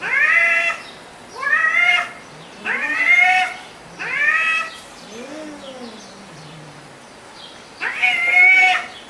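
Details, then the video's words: Kittens and cat meowing: five quick high mews in the first half, a quieter falling mew, then a pause before one more loud meow near the end. "Som de Gato e Gatinhos Miando"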